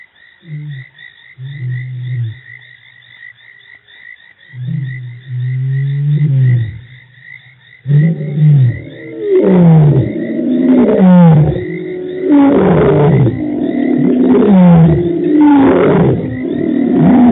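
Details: Lions roaring at Djuma Game Reserve on March 24, 2018: low hums and moans at first, then from midway a run of deep, descending grunting roars repeated about every second, with a steady high tone running throughout.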